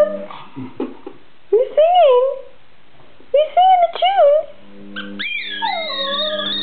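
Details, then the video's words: Border Terrier singing to a squeaky ball, giving short wavering yodelled howls that rise and fall, in several bursts, followed by a higher sustained wail over the ball's steady squeaking. "the singing Border Terrier"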